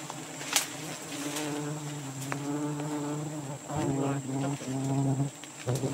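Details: Steady, strong humming of a giant honey bee nest in Borneo during the rainy season, the drone swelling louder in the second half with a few crisp clicks on top.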